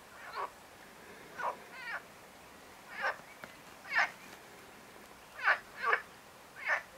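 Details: Marsh frog (Pelophylax ridibundus) calling: short, buzzy, slightly pulsed croaks, nine in about seven seconds, spaced irregularly, some in quick pairs, over a quiet background.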